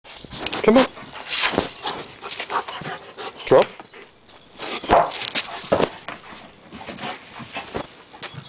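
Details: An Old English Sheepdog chasing his soccer ball gives short, sharp yelping barks near the first, third-and-a-half and fifth seconds. People talk over the play, with thumps and rustling between the calls.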